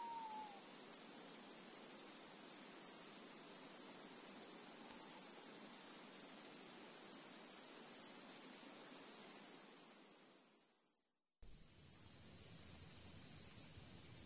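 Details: Continuous high, buzzy grasshopper song with an even pulse of about four beats per second, fading out near the end, then cutting abruptly back in at full strength.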